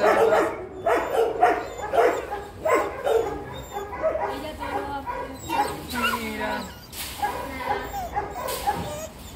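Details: Dog kept with cats, giving a burst of short barks and yips, several in quick succession early on, then softer whimpering tones over a person's voice and background sounds.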